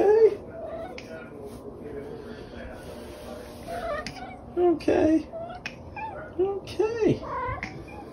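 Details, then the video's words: The OK Cat, a female pet cat known for meows that sound like "okay", gives several short rising-and-falling meows indoors, clustered near the end, with a person talking quietly in between. "Talking Cat Says Ok"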